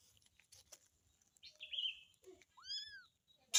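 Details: Kitten calling for its mother: one short, arched mew that rises then falls, preceded by a thin, steady high whine and light clicking sounds.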